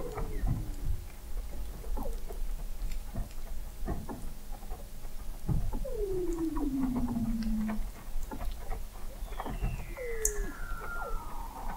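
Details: Several Weddell seals beneath the sea ice of McMurdo Sound, Antarctica, captured in November 2017 by an observatory 21 m under the ice; a long downward-sweeping whistle, shorter falling glides, brief clicks and chirps over low background hum.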